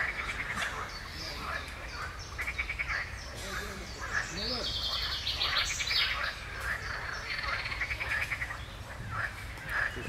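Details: Frog concert recorded on 15 June 2020 alongside chaffinch song: a faint, dense chorus of rapid pulsed trills overlapping continuously, with higher bird notes above and a brief human voice.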